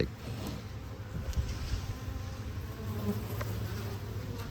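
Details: Western honey bees in a five-frame nuc, opened as winter approaches, give a low, steady, droning buzz that swells as they grow agitated, unhappy at being disturbed at this time of year.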